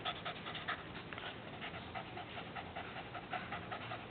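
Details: A dog pants hard as its tongue is played with. Fast, uneven, breathy in-out puffs repeat about two or three times a second, with no other sounds.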